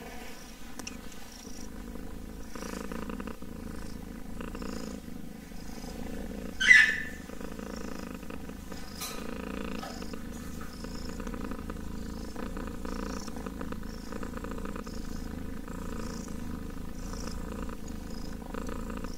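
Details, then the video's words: Purring kitten, a quiet sustained low rumble running throughout, broken by a brief sharp rustle or squeak near the middle and a soft click later. "KITTEN ASMR purring!"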